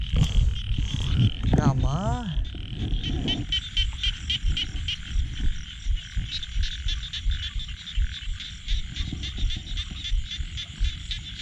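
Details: Night frog calling after heavy rain, amid a torchlight search for large frogs. A single low croak with a sweeping harmonic glide near the start, followed by a dense, rapidly pulsing high chorus and patter of rain.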